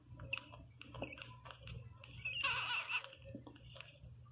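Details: Teco, a newborn Pinscher pup, cries loudly. Scattered clicks and smacks lead into a dense, high-pitched wailing squeal lasting about a second, then quieter clicking, all over a constant low hum.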